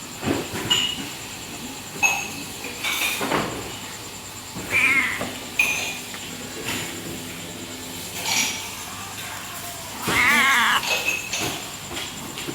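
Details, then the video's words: Si Meong, the pampered cat of a coffee stall in Aceh, Indonesia, that stays up through the night till dawn, utters several drawn-out wavering meows, the longest near the end, amid clinking cups and dishes. "Kucing Warkop Aceh ini Bisa Ngomong | Talking Cat"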